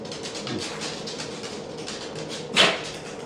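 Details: Frustrated male puppy indoors gives a single sharp, breathy sneeze burst near the end, preceded by soft scratching and rustling in a small room.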